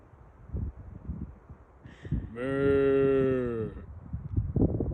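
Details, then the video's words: A single full, low cow moo of roughly one and a half seconds holds a steady pitch and dips slightly at the end. Soft thumps and background murmur come before and after. "Sound of cow"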